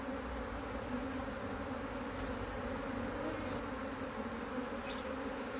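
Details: Steady drone of honey bees as a HiveIQ hive in Australia is opened to add another box, almost mid-autumn 2023, during a run of fine weather with the colony working strongly. An even, unbroken hum with faint higher hiss and a few soft ticks.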